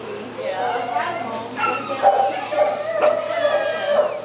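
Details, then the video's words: Little black dog crying in a shelter cage: drawn-out, wavering whimpers rising and falling, several overlapping cries over a few seconds, with thin high whistling tones running above them. "Little Black Dog Cries In Cage"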